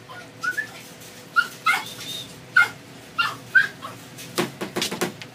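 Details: Young male Doberman in a pet store: a handful of short, high yelps spaced about half a second apart, then a few scattered clicks and bumps near the end.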